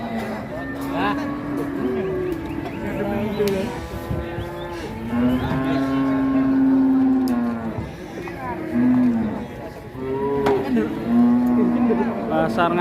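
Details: A herd of cattle at the packed Ngawi market in Indonesia, bought in large numbers and shipped out of town, including to Bandung. Repeated long, deep moos overlap, some rising at the end, with voices and music behind.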